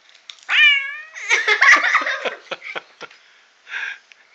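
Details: Pet cat answering when his name is called in Korean: one clear rising-falling meow, followed by scuffling, clicks and a short muffled sound later.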